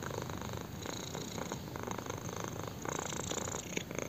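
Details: Close, intense purring from a kitten enjoying having its chin scratched; a dense, vibrating drone with brief breathy surges and light handling rustles near the end.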